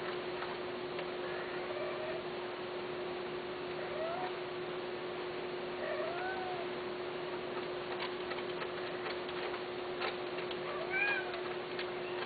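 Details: Persian and Himalayan cats, male and female, kept for mating. Soft, faint meows rise and fall at scattered moments over a steady indoor hum, with a louder bent cry near the end.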